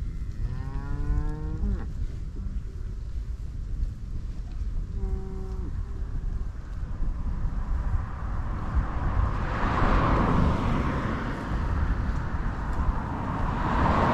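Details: Cows mooing while grazing in a meadow on Dutch farmland in Holland: two deep, drawn-out moos with rich harmonics, the first lasting about two seconds, the second shorter, over a steady low rumble of wind or passing traffic that swells toward the end.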